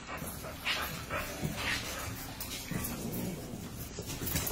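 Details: A female three-legged pitbull, recovered after leg removal, playing with French bulldogs indoors; short high whimpers and yips come in scattered bursts over steady broadband scuffling and rustling noise, with a faint voice in the background.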